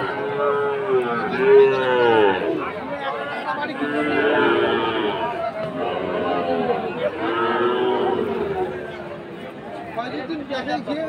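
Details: Market-day lowing of fattened Sahiwal bull calves, Aftabganj, Dinajpur, Bangladesh, 4 March 2023: a run of bending, sustained moos, loudest in the first half, mixed with talking voices from the crowd.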